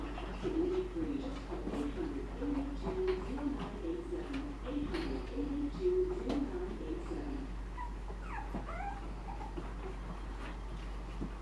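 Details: Shih Tzu pups, seven weeks old, born to Pebbles, whimper in quick, wavering squeaks for about seven seconds, then a few sharper rising yips follow before quieter whining fades over a low background hum.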